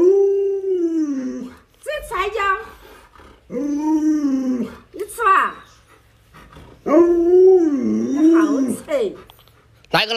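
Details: Luoluo, a house Alaskan Malamute pleading to be given watermelon, makes a series of drawn-out, yodelling howl-whines. Some are steady and some swoop up and down, with short gaps between them in a small indoor room.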